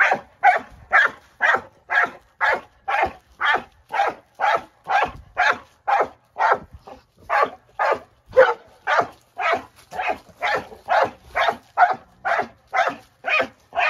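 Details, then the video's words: Dog named Moose playing with his rock of the day, barking excitedly in an unbroken, fairly even run of loud barks, roughly two per second throughout. "Dog goes Berserk over Rock!"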